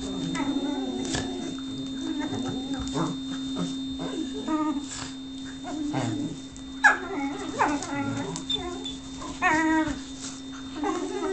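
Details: Lux, a whippet, whimpers for affection that is being withheld: a run of high, wavering, nasal whines and short yelps broken by brief pauses, over a constant low electrical hum.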